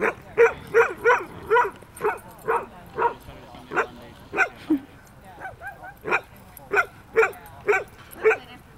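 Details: Playful barking from two puppies in a park, a 4-month-old border collie and a 5-month-old aussie-golden mix; a steady run of about seventeen short sharp barks, roughly two per second, with a brief pause midway.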